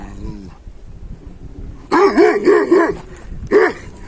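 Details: Hançer, a purebred Kangal dog and son of Kurtboğan, recorded on 26 April 2024, gives a burst of four quick, deep barks. After a short pause it adds one more bark. Faint background noise runs underneath.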